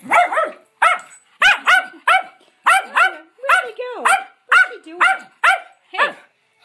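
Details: Adopted rescue schnauzers, three dogs, playing together indoors: about eleven sharp, harmonic barks over seven seconds, mostly in spaced pairs, some with a sliding pitch. A brief human voice is heard nearby.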